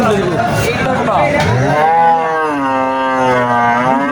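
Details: Sahiwal cattle at the crowded Moynamoti cattle market in Cumilla, Bangladesh: one long, steady low moo holding its pitch for about two seconds, following a brief rising call, over constant human chatter and crowd noise.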